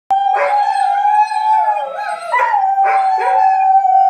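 Weimaraners howl in a long, steady, mid-pitched wail that wavers and dips before holding level.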